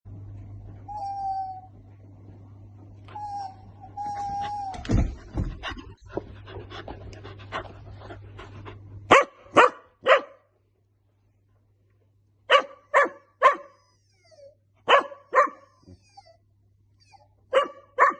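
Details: A 3-month-old female golden retriever puppy, newly added to the family, gets vocal when her owner makes funny noises, giving soft, thin whines and then a run of sharp, high yips and little barks.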